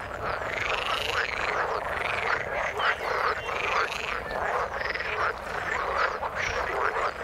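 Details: Frogs in the water croak together in a dense chorus of buzzy, rattling calls repeating about once a second.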